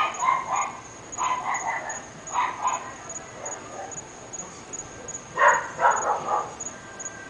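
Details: Barking from three dogs kept in a North Bay Village home, said to go on morning, noon and night: scattered single barks, then a quick run of several barks near the end, with a constant thin high tone behind.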